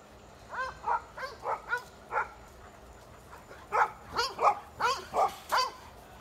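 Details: Four-month-old female Golden Retriever puppy, described as happy with wiggly feet and loving people; a string of short, high, whiny yips and squeaky barks in two bursts, about a dozen calls, with a faint low hum behind.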